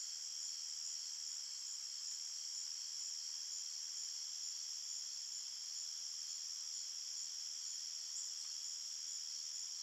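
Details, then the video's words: Crickets chirping at night in a forest: a steady, dense high-pitched ringing chorus with several stacked shrill bands that never pauses, with no other sounds. "Crickets Chirping Sounds"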